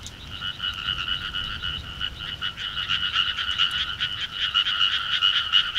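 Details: A throng of frogs calling in summer countryside, producing a continuous, rapid, pulsing rasp of overlapping croaks at a mid-to-high pitch that swells gradually, with faint low background noise.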